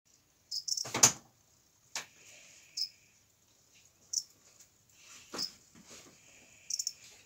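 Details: Cricket; calling song; male attracting females for mating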